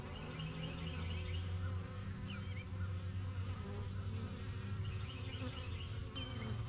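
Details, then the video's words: Honey bees coming and going at their yellow backyard hive, settling into new surroundings: a steady low, humming drone of wings throughout, with scattered high bird chirps and a sharp click near the end. "BUSY BEE HIVE AMBIENCE"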